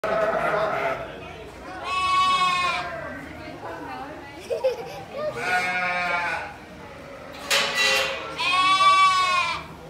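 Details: A lamb bleats three times, each a wavering, nasal baa of about a second, spaced a few seconds apart over steady background noise.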